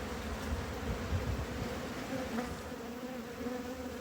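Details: Honey bees at a hive during harvest and expansion: a dense, steady low hum with a constant drone throughout, a continuous swarm buzz with no voices.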